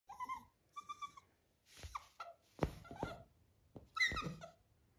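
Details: A Labrador Retriever puppy named Happy asks to be lifted onto the bed for cuddling: short tonal whines with bright overtones, two quick ones early and a falling whimper near the end, mixed with soft household thumps.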